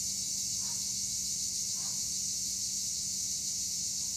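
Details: Steady high buzzing wall of tree cricket sound, Acheta assimilis, from olive trees at Güre, Turkey, carrying on without breaks; two faint brief squeaks appear early over a quiet low hum.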